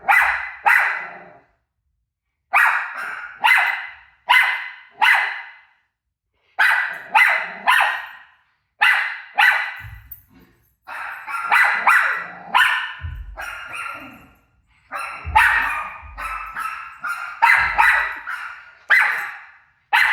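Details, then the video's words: Rosie, a pet dog, barks at her own barking playing on TV: loud sharp barks in bursts of two to four, separated by short silences, with a few fainter barks between. "Crazy Rosie Barking At Her Barking Self On TV"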